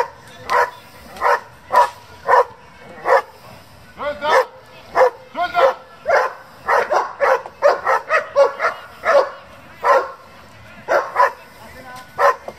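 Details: German Shepherd barking in a working group, a run of sharp barks mixed with whining, rising tones near the middle, and voices in the background.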